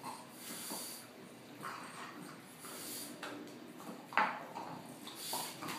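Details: Ziggy, a French bulldog, happily spinning. Occasional breathy snorts and snuffles, one sharper nasal blast near the end, against a faint indoor hum.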